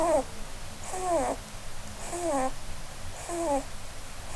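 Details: Blueberry, a female Holland Lop rabbit, snores while sleeping and dreaming under a Christmas tree indoors, a breed prone to snoring from its facial bone structure. Squeaky, falling whistled tones with a soft hiss recur about every 1.2 seconds, four times.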